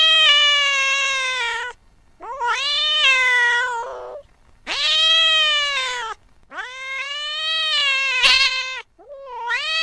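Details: Late at night, a cat chasing a mouse gives a series of five long, loud wailing meows. Each lasts one to two seconds, with short pauses between them, and the pitch bends slightly up and down.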